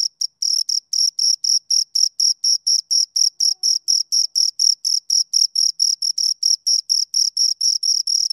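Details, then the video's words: High, rhythmic cricket chirping from two crickets: evenly spaced scraping pulses repeating several times a second, steady in loudness and pitch, with a faint shimmering overtone and no background noise. "Two Crickets Chirp Sounds"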